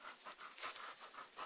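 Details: Puppy panting: quick, breathy huffs repeated about five times a second in an even rhythm.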